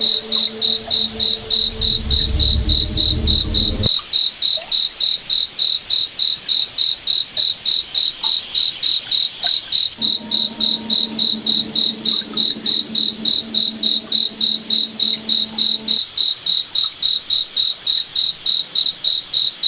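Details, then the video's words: Cricket calling at night in a forest under the moon: a continuous even train of shrill chirps, about three and a half per second. A low rumbling hum opens the clip, and a quieter drone returns in the middle. "Cricket Night Forest Ambience"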